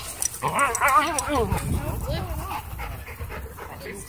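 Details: A Miniature Pinscher gives a wavering, whining growl that rises and falls, a warning while being harassed by another dog.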